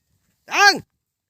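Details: Cattle startled and running off without drinking water; a single short arched call about a third of a second long with rich stacked harmonics, rising then falling, in otherwise quiet surroundings.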